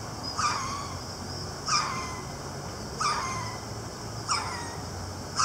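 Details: Captive ruffed lemur at Ueno Zoo, recorded December 2018, giving raucous loud calls: harsh, broadband barking bursts repeated about every 1.3 seconds, five in all, over a low background rumble.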